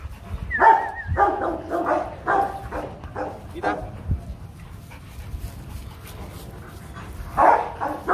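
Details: Rottweilers at a Vietnamese kennel, where the champion male Loki is mated with a female brought from Hưng Yên. A quick cluster of sharp, harsh barks fills the first four seconds, then a quiet pause, then one more burst near the end.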